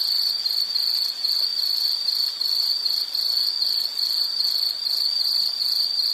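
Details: High-pitched insect trill broken into short bursts of roughly half a second, repeating rhythmically with brief dips between pulses.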